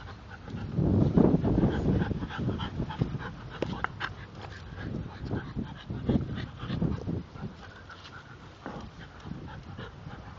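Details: Spike and Molly, a pair of English Bulldogs, roughhousing with each other and biting their owner; loud throaty grunting growls and heavy snorts come in quick uneven bursts, strongest near the start.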